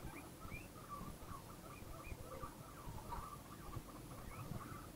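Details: Guinea pig in a happy mood, giving a busy run of short, chirping squeaks that rise and fall quickly, several per second, over a steady low rumbling background.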